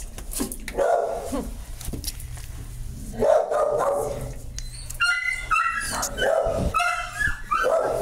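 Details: Dog with puppies; broadband barks at roughly one-second intervals early on, then higher tonal yelps and whines with stacked harmonics in the second half, steady background noise throughout.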